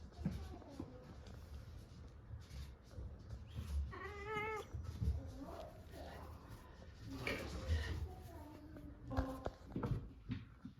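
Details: Munchkin cat Chabo, indoors, answering with a short 'nyah' when called by name; one clear tonal meow rising then falling near four seconds, fainter brief calls later, with human voices and room noise throughout.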